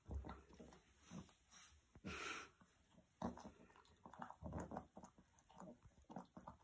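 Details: Boston Terrier puppy indoors in a small room, playing with its roommate and keeping him from sleeping; short snorting grunts and chewing or biting noises in uneven bursts, with rustling of movement.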